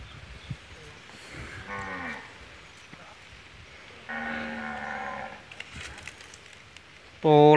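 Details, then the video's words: Female Peranakan Ongole cow mooing: a harmonic low call near two seconds, a longer steady moo around four to five and a half seconds, and a loud final call at the end, with faint background voices. "Sapi Peranakan Ongole"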